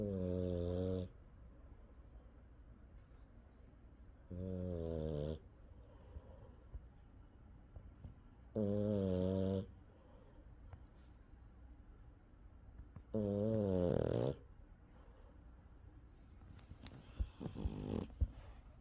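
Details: A French Bulldog, asleep in an odd spot, snoring loudly enough to make the back vibrate. Four deep, buzzy, rasping snores, each about a second long, come roughly every four seconds with quiet indoor pauses between them.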